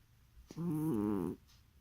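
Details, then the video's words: A sleeping cat lets out one loud snore lasting under a second, a buzzy, harmonic rasp with a slight wavering pitch, following a short click. "Кошка храпит во сне"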